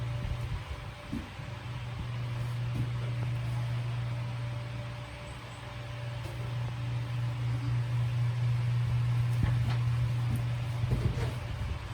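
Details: A steady electric fan hum with a low drone and broadband rushing air fills the recording, and no clear animal call stands out.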